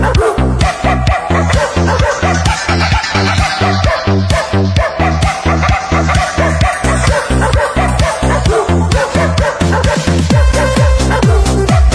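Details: Loud electronic dance music with a fast, pounding beat plays throughout, and no animal sound is heard.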